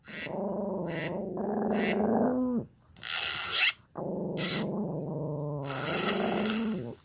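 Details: Tsuki, a feisty little Pomeranian reacting to sounds, gives long, droning growls with a rough, buzzy tone. Each growl lasts about two seconds and is broken up by bursts of hissing noise.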